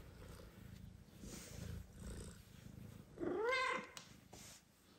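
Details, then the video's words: House cat Kira, a new mother with a newborn golden kitten and an adopted one asleep nearby, gives a single bending meow over a low rumbling purr-like background while asking to be petted. "Mother cat meows loudly and asks to be petted while newborn kittens sleep"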